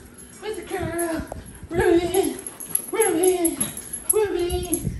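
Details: Skittish, fearful dog giving drawn-out whining cries, four in about five seconds, each holding steady then dropping at the end, with music playing in the background.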